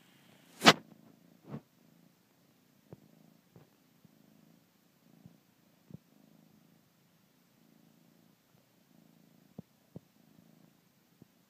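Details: A male Bengal kitten nursing his blanket purrs quietly in steady breath-length pulses, with sharp sucking clicks and a loud knock near the start.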